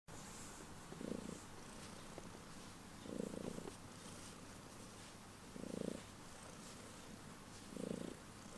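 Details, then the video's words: Domestic cat purring loudly just before bedtime, indoors; four rhythmic purr bursts roughly every two and a half seconds, low rumbling pulses with quiet gaps between. "Cat Purring Loudly Just Before Bedtime"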